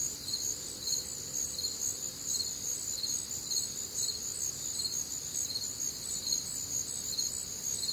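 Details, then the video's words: Midwestern summer night crickets, warm and humid air: a steady metallic chirping, pulses arriving about twice each second, several insects overlapping into a constant high ringing with quiet low-frequency night noise beneath. "Night Time Cricket Sounds"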